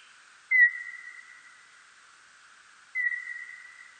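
A serotine bat gives two drawn-out, whistle-like tones, each starting with a brief sharp sweep.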